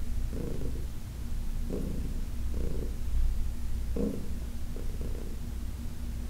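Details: A massage session with Heidi, an older shelter-adopted cat from the Humane Society of New York City, recorded August 4, 2021: a deep steady purr rising into short brighter surges about once a second.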